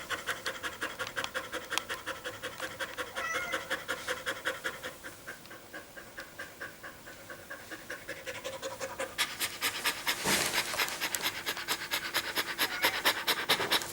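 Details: Pet dog panting quickly after running in summer heat on 21 April 2016. Breathy, rhythmic panting stays soft and steady for the first nine seconds, then grows louder and harsher, with sharp airy bursts continuing to the end.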